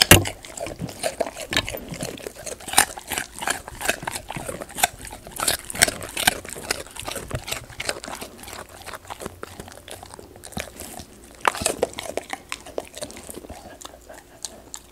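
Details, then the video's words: Golden retriever eating crisp raw sweet potato indoors, taped close for ASMR: fast rhythmic crunching and wet chomping, busiest early, then sparser bites with quieter gaps toward the end. "강아지 먹방(ASMR) 고구마"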